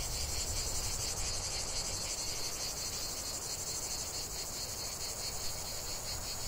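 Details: Lavender-field cicadas producing a steady, high, rasping drone with faint pulsing, accompanied by a low rumble of background noise.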